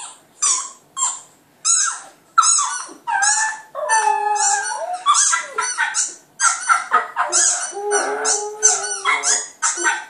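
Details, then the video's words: Clyde, a Border Terrier puppy, howling at a computer: short high yelping bursts in quick succession, some stretching into longer wavering howls that slide downward, with brief gaps between. "clyde puppy howling at computer"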